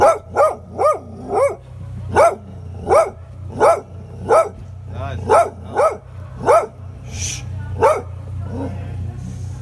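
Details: A strong black male hound raised at a cafe in Odivelas, Portugal, barks in a steady, rapid series of deep, ringing woofs.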